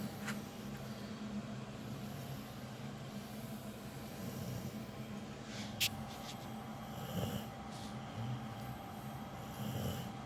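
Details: Capone, a dog with cropped ears and a loud snorer, sleeping indoors: a steady low rumbling snore with soft breathy texture continues throughout, with a few faint clicks.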